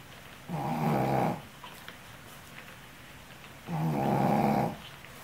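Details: Exhausted female Shih Tzu, a mother worn out from caring for her puppies, sleeping and snoring: two long, rumbling, harmonic breaths about a second each, roughly three seconds apart, with quiet breathing between.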